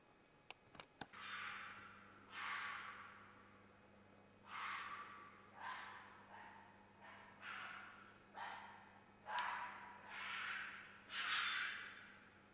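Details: Fox during mating season: a series of about eight harsh, raspy screams, each roughly a second long, spaced one to two seconds apart, with a steady low hum underneath and a few sharp clicks at the start.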